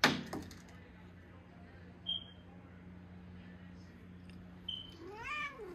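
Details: Ginger pet cat at Christmas playtime, a household cat trained with talking buttons: one short harmonic meow near the end, rising then falling. Two brief high electronic beeps come before it, over a steady low hum.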